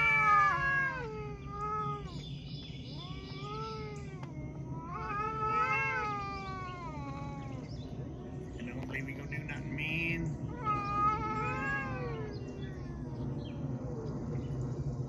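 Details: Talking cats trade a string of arched meows, some rising then falling, spaced a second or two apart over a low background hum, with faint voices possibly in the mix.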